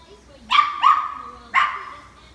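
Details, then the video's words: Italian greyhound, a young female learning to find her voice, encouraged by her owner; three short, high yappy barks, two close together then one after a pause, with the owner's voice nearby. "Finding her voice Estee Italian greyhound"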